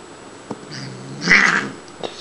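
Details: Shiloh, a female Siamese cat about four years old, rescued as a kitten from a grocery store loading dock, vocal during indoor playtime: one loud, strained meow mid-clip, with soft room noise.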